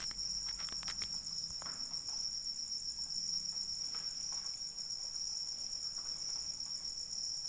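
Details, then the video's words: Crickets, jangkrik, calling through rain as a sleep soundscape: a steady, unbroken high-pitched shrill trill holds for the whole stretch, while soft patter and scattered droplet taps from falling rain sound underneath. "Suara Hujan dan Jangkrik Pengantar Tidur"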